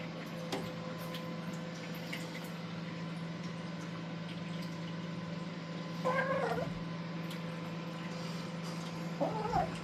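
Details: Raven, a playful female black kitten, plays alone during zoomies on a cat tower indoors. She gives two short, wavering chirps several seconds apart over a steady low electrical hum.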